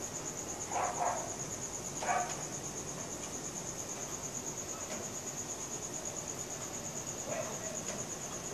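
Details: Crickets chirping at night, recorded on a Samsung Galaxy S4: a constant high pulsed trill throughout, with a dog barking in the distance about three times, including two close barks near the start and one near the end.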